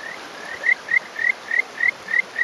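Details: Male Kajika frog atop a rock in rural Hofu, Yamaguchi Prefecture, Japan, May morning; crisp series of seven to eight bright rising whistled notes, evenly spaced about three per second, over soft running water.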